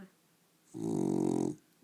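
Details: A female pet dog snoring while awake: a single rough, pulsing snore lasting nearly a second, steady in pitch, after a short quiet pause.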